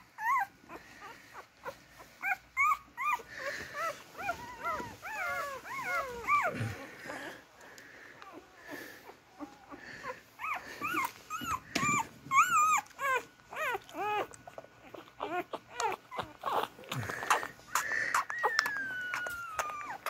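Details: Several beagle puppies working their way to their mother to nurse keep up a busy chorus of squealing, wavering whimpers and short yelps, some sliding down in pitch, over rustling movement.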